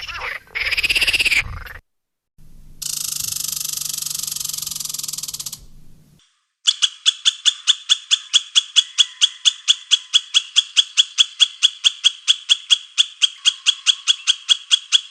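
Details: Squirrel calling in a long, steady run of sharp, dry clicking notes, about two to three per second, after a short stretch of louder hissing bursts and a break.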